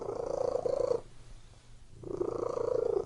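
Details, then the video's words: Domestic cat purring in a small room, two buzzing, pulsed rumbles of about a second each with a one-second lull between them. "Purring Cat in Room"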